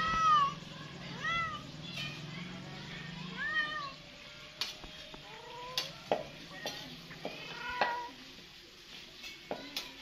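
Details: Cat meowing again and again, short arched cries rising then dropping, some overlapping, with scattered clicks and a low hum fading out after the first few seconds.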